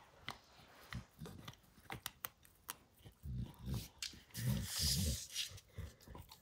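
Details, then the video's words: Max the dog crunching through a baseball hide in a small room, rapid irregular bites near three per second, deep thuds mixed with crisp tearing and a brief hissy scrape. "Max Destroys A Baseball Hide | NOT ASMR | DOG CHEWING"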